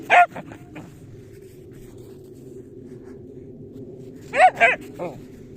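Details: Tosya the dachshund on a winter walk: two sharp, high yelping barks at the start, then a quick cluster of three more near the end, over a quiet outdoor hum.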